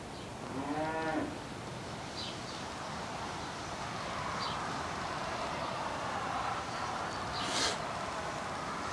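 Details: Chianina steer pulling a gang mower while mowing grass; one short, rising moo near the start, then a steady mechanical rumble and hiss with a few faint knocks.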